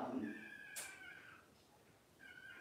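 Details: Cavalier King Charles Spaniel puppies only days old, from litters born in mid and late September 2022, cry on a livestream: a drawn-out tonal wail, a sharp click, then a second shorter cry over a quiet indoor background.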